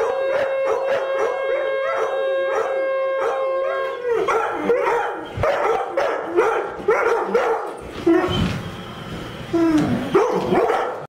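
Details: Twin Airedale Terriers howl along with a horn: a steady held horn tone for four seconds, then the dogs' wavering, overlapping howls rise and fall in short bursts with a few yips, ending in a final swooping howl.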